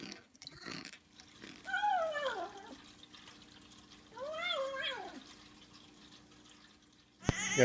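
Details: Domestic cat making weird noises indoors: two arched meows that rise then slide down, a few seconds apart, with a faint steady hum, quiet background noise and a sharp clatter at the end.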